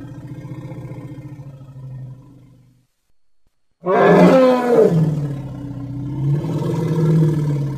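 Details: Baby elephant playing outdoors: a low, pulsing rumble for about two seconds, a brief silence, then a loud, rough, roaring trumpet that wavers and carries on strongly to the end.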